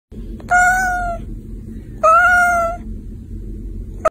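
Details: Persian cat with heavy fur giving two long, drawn-out, steady meows about a second and a half apart, with the start of a third at the end, over a low background hum.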